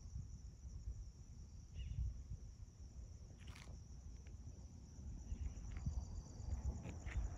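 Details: Continuous high, thin cricket trilling at sunrise at a home in Magma Ranch, Florence, Arizona, in August 2021, joined by scattered short bird chirps and sharp clicks over a persistent low rumble.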